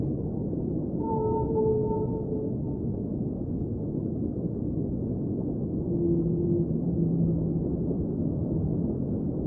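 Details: Singing whale heard underwater: a higher, slightly wavering moan early on, a pause of steady rumbling, then a lower, longer tone gliding downward, set against a dense deep underwater hiss.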